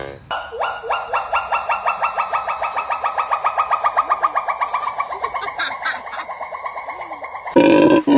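A monkey gives a long run of rapid, tonal, rising notes, about four each second.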